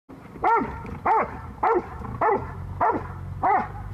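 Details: A Rottweiler attacking a person gives deep, harsh barks in a steady series, about one every half second.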